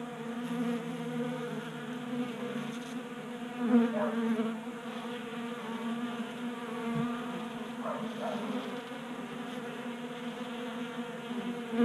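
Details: Honey bees at a 3D printed bee feeder in a garage in Colorado in January, a sustained humming buzz with brief louder bursts as individual bees fly close, and a faint knock midway.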